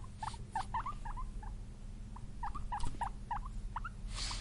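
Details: Excited, happy guinea pigs (Cavia porcellus) wheek and squeak, a run of short, hooked squeaks repeated several times a second.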